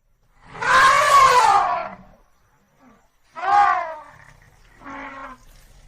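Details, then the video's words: African elephant trumpeting: a long, harsh, harmonic-rich blast of about a second and a half, then a shorter, falling call, and finally a brief, quieter third burst, with low rumbling noise between them. "African elephant sound effect"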